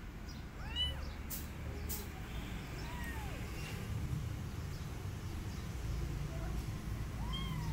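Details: Abandoned kitten calling to an adult female cat it wants to adopt him, while she shows no interest; a few arching meows spaced several seconds apart over a low steady background rumble.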